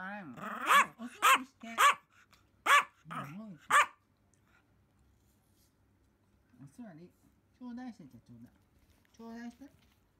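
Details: Pomeranian at home, from the pair Pon and Simba, lets out a quick run of six or seven loud, sharp barks over four seconds, then goes quiet apart from a few soft whiny sounds.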